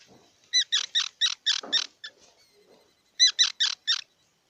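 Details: High, squeaky squirrel chirps come in two fast runs of about five evenly spaced notes each, separated by a short pause with a few faint, softer sounds.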